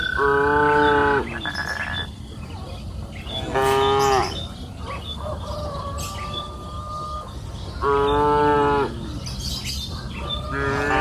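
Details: Cows on a lush green pasture hill on an afternoon, grazing freely: three loud, rich moos spaced a few seconds apart, with a long thin tone between them and scattered bird chirps over a constant outdoor hum.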